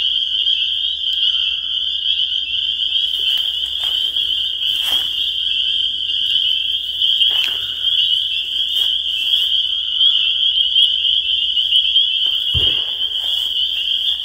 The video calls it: The Sound of Spring Peepers